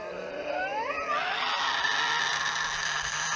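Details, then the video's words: A Tasmanian devil gives its devil screech, a rising, whining cry breaking into a long, harsh, rasping screech lasting several seconds; the screech is often heard during feeding conflicts with other devils or while mating. "here is the sound of the Tasmanian devil [Applause] [Music] [Applause]"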